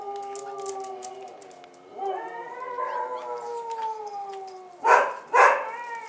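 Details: Bull Terrier puppies' first trip outdoors, 18 January 2015: a steady, rising, wavering whine held for several seconds, ending in two loud yelps.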